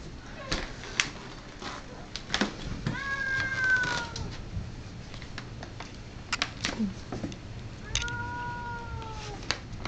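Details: Abyssinian cat named Rudy, who hates cats, confronting a visiting piebald cat named Franky at Rudy's house; drawn-out wavering yowls rising and falling around three and eight seconds, with clicks and thumps between.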